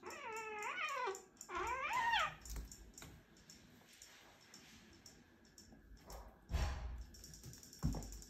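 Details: Siberian kittens, 15-week-old brothers, squealing while wrestling: two wavering, whiny squeals in quick succession, each bending up and down in pitch, followed by thumps of the fight and a faint rhythmic ticking.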